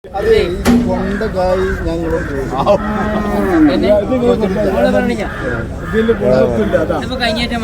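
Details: Bull calf being sold, with a deal falling through at the last moment: a series of loud, bending, nasal moos that rise and fall over several seconds. Some human voices are heard alongside.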